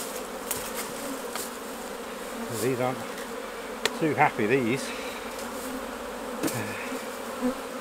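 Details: Continuous low drone of honey bees while honey is taken off the hives at harvest time, overlaid by a few clicks and short snatches of human speech around the middle.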